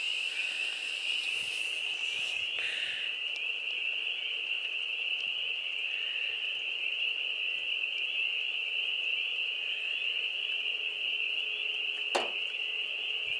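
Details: Dense chorus of frogs, in the thousands, mating in a farm pond in spring, April 25, 2022, as the weather warms: a continuous high, shrill ringing of many overlapping callers, with a brief sharp knock near the end.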